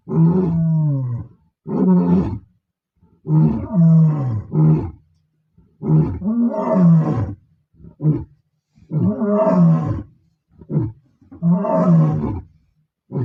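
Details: Bila Shaka Boys, a group of male lions, roaring close by, not far from R5: a run of deep, harmonic roaring grunts, each lasting about a second, repeated with short pauses and rising to strong bursts, with no other clear sounds.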